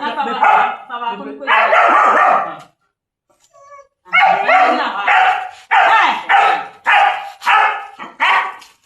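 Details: German Shepherds chained for the first time, barking loudly in harsh bursts, first a rapid run, then after a short pause a series of single barks about every half second to second; human voices faintly mixed in.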